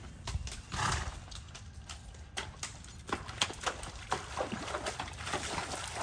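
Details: Kentucky Mountain horse, a 15-hand, 12-year-old gelding, walking a trail through woods and across a creek; irregular sharp hoof clops mixed with splashy, broadband bursts, several strikes per second.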